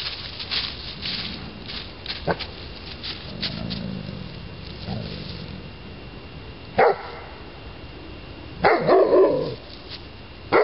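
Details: Maciste di Maciste, a Neapolitan Mastiff, makes a few low grumbling sounds, then a single sharp bark followed by a longer, harsher double bark, with handling clicks and faint hiss throughout.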